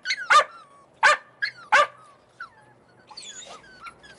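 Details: Three sharp, yappy barks from Australian Cattle Dog puppies in Slovakia, followed by quieter high whimpers and squeaks from the litter as the barking fades.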